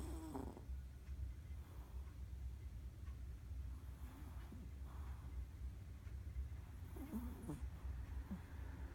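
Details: Ran-chan, a pet Chihuahua, snores softly during an afternoon nap and twitches in her sleep; brief wheezy snorts open and close the stretch, with faint breathy murmurs over a constant low indoor drone.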